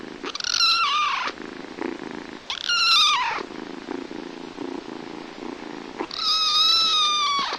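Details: Little kittens playing and calling: three drawn-out, strained meows, each about a second long and gently falling in pitch, separated by softer shuffling and faint purring-like noise.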